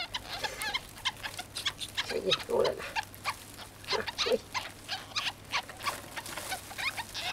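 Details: Young ferrets let out of their cage squeak in rapid, high, chirping bursts while a woman talks softly to them now and then.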